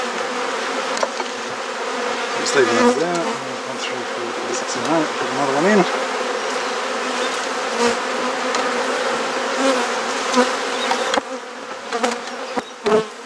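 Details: Swarming hum of honey bees during a garden hive inspection in Perth, Australia, with brief wavering rising tones midway, handling knocks, and a quieter spell near the end.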